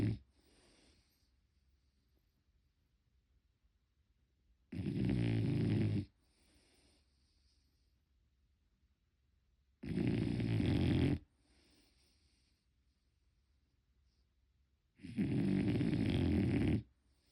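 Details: Unedited snoring of a sleeping French Bulldog: loud rattling, low-pitched snores recur about every five seconds, three in all, each lasting over a second, with faint breathy sighs in the quiet gaps.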